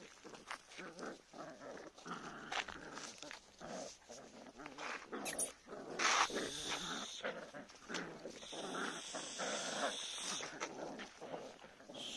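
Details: Two-month-old Jagd terrier and Jack Russell terrier puppies during training give rough, irregular growling bursts mixed with rustling and scuffling noise throughout.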